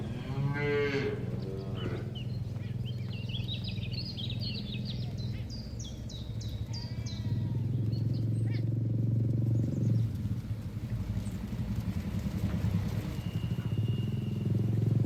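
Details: Cattle herd out on a green field, grazing contentedly on grass; a loud, harmonically rich moo opens, followed by a long, low, sustained lowing with chirping birds and a rustling outdoor background.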